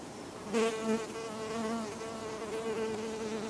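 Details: Western honey bee (Apis mellifera) visiting a fragrant rose, giving a steady, low droning hum with a rich stack of overtones that swells briefly near the start and then holds even for the rest of the moment.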